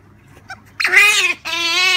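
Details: Pet Asian small-clawed otter indoors at Halloween, giving one sharp, bright squeal that bends upward then holds, followed by a second steady high squeal after a short pause.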